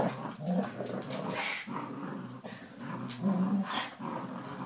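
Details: Border Collie puppy, 12 weeks old, playing tug with a 9-year-old Springer Spaniel; steady low growling with a couple of brief louder rasping surges and faint higher whines.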